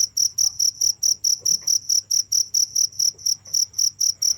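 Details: Steady cricket chirps, evenly spaced high pulses a little more than twice per second, each pulse a short bright trill with an upper overtone, over a low background hum.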